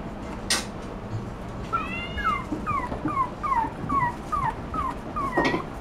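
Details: Toy Poodle puppy whimpering indoors: thin, whistled whines slide downward, repeated about twice a second in a steady string, with a couple of sharper clicks at the start and end.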